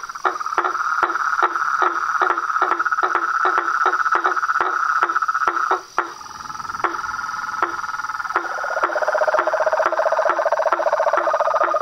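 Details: Frogs, toads and treefrogs calling together: quick knocking pulses over a humming trill, a brief near-silent gap midway, then a lower grating trill takes over with the pulses resuming.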